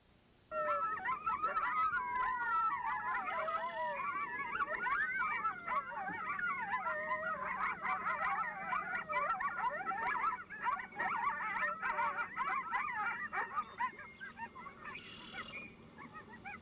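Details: A coyote pack gives a group yip howl, a chaotic chorus of wavering howls and sharp yips announcing its territory's location to coyotes in nearby territories.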